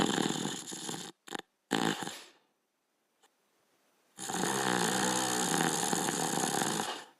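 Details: Border Collie sleeping and snoring: a few short rasping breaths in the first two seconds, then near silence, then one long, steady, buzzy snore of about three seconds with a layered harmonic drone.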